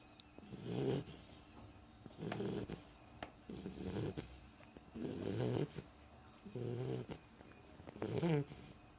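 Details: Sleeping pet Beagle snoring, with six rasping, throaty snores in steady succession, one roughly every one and a half seconds, separated by quiet breathing pauses in a still room.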